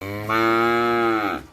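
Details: Cow giving a single long moo on a farm, a steady harmonic-rich low lowing held for about a second with a slight rise at the start.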